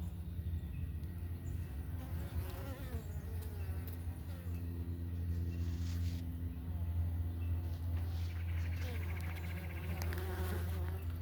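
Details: Worker Italian honey bees crowding a homestead hive entrance in the morning, some carrying pollen loads; a steady low drone overlaid by bending, wavering tones of bees passing near, strongest in the second half.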